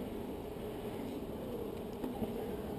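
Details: Honey bees in a hive super, building double layers of comb; a steady, dense low buzzing hum holds throughout with no breaks and only a slight swell near the end.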